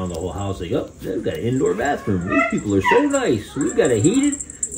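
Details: Six-week-old West Highland White Terrier puppies from Princess Fiona's litter, indoors: a run of high, wavering whimpers and yips rising and falling in quick succession, overlapping one another, with people talking in the background.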